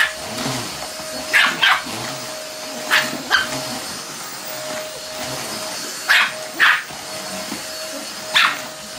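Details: Pomeranian kept as a house pet, panicking at a running vacuum cleaner during house cleaning; short sharp barks come in pairs about every one and a half to two seconds over a steady droning hum from the vacuum.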